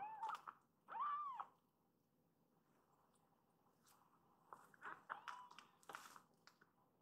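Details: Rescued baby kittens in foster care indoors, drawn to their mother cat after a nap; two clear rising-falling meows at the start, then quieter rustling and faint short mews.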